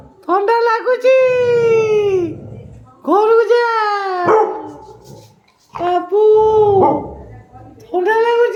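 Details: A pet Labrador at home gives long, drawn, tonal howling whines that slide downward, each lasting over a second, while a person talks to it nearby.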